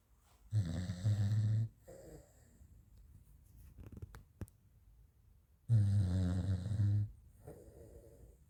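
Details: Asleep French Bulldog Raf snoring in a quiet room: two long, low, rasping snores about five seconds apart, each followed by a softer exhale, with faint rustling between.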